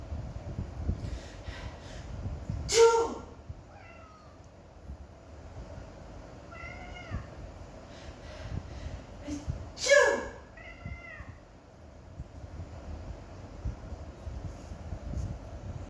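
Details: Indoor pet cat getting angry at a person's sneezes: after each of two loud sneezes, short, strained, falling meows follow in twos and threes, over a low room hum.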